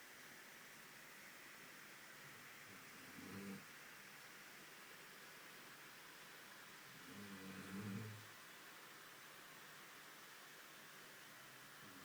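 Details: Koko, a dog, resting at home after a long walk in pouring rain, gives two soft, low, rumbling snores roughly four seconds apart, each drawn out briefly, over a steady background hiss.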